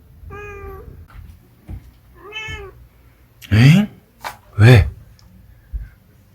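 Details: Munchkin cat indoors giving two drawn-out, harmonic-rich meows about two seconds apart, each steady then slightly falling, followed by a person's louder talking and short vocal bursts.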